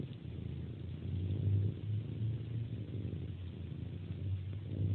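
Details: Close, deep purring from a cat nursing on a hand before sleep, the low rumble swelling and easing in gentle waves.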